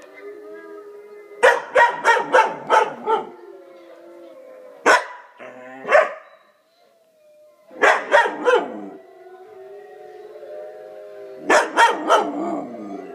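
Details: Luna, a dog answering wolf howls, gives rapid runs of four or five yipping barks that trail into howls, repeated in several bouts, while wavering wolf howls sound steadily in the background.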